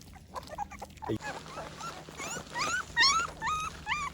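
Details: Litter of American Pit Bull Terrier puppies being fed and cleaned up after breakfast, crying in a run of high, wavering yelps and whimpers, each rising then falling, repeated roughly twice a second and growing louder, with a man's voice at the start.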